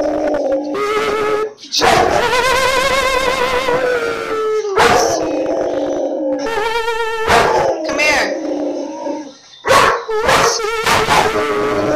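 A German Shepherd howls in long, wavering, tuneful notes alongside a person singing.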